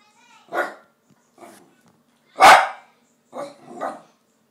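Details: A pet dog named Sweepy, said to want tikka masala, gives short barks: several quieter yips then one loud sharp bark near the middle, followed by two softer barks close together.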